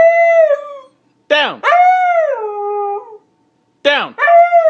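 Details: Domestic Siberian Husky protesting an order to get down, giving a sustained howl that slides downward and trails off, while a person keeps repeating "down" in brief sharp bursts between the dog's calls.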